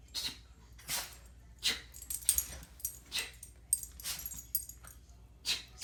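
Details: Domestic dog caught in a bout of sneezing: rapid hissy, breathy bursts, bright and high, repeated roughly every half second to second across several seconds, no voices over them.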